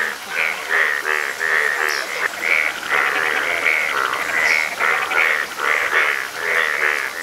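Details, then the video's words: Yellow frogs in Nepal calling as a dense chorus: overlapping nasal, harmonic croaks repeated rapidly, roughly one a second from each caller, forming a steady pulsing din with no other clear sounds. "Yellow Frog In Nepal & Frog Sounds"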